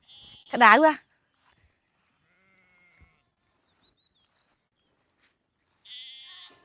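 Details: A sheep gives one loud, wavering bleat with a trembling, quavering tone lasting about half a second. Near silence follows, with faint rustles and a soft human voice toward the end.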